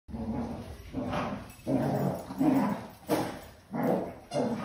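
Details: A Basset Hound puppy and a senior Basset Hound; deep, hoarse barks and bays, repeated roughly every second with uneven spacing, as the puppy confuses the older dog.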